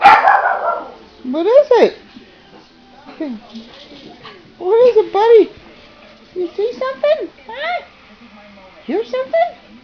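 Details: Pet dog, urged by its owner asking what it hears, answers with about eight short arched yelping barks, each rising then falling in pitch, spaced by brief pauses; owner's voice heard at the start.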